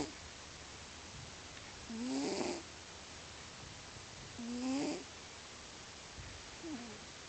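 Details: Domestic cat named Lio, sleeping and snoring loudly indoors: rough, buzzy breaths with a nasal whistling tone, each lasting under a second, recurring about every two and a half seconds; the third snore is fainter, over steady background hiss.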